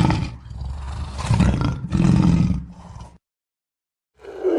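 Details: Lion letting out two heavy, rasping roars back to back. After a second of silence, another roar begins.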